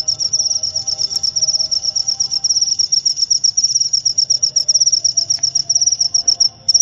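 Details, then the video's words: A cricket's shrill, high-pitched trill offered as a sleep aid and natural rat deterrent, fast ticking pulses running without a break at a constant pitch, over a soft low background hum. "Suara Jangkrik untuk pengusir tikus & therapy insomnia"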